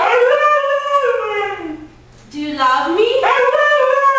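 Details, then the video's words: A female Siberian Husky "talking": two wavering howls, the first falling from a high note, then a brief pause and a rising, vowel-like second howl. ""NOOOOOOOOOO!" - Husky Dog Talking"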